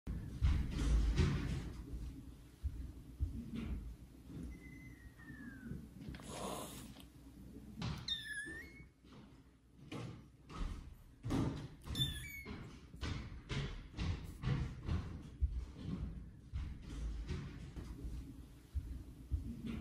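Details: Kittens Caramel and Zephyr meet the adult cats Kira and Daddy indoors and meow loudly. A few high, slightly falling meows stand out over steady low rumble, soft thumps and handling noise.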